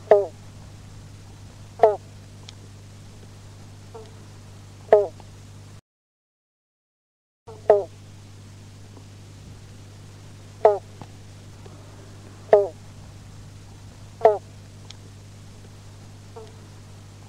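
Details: Western banjo frogs at a local pond in Mandurah, Western Australia, give short, hollow 'bonk' notes like a plucked banjo string, spaced every couple of seconds.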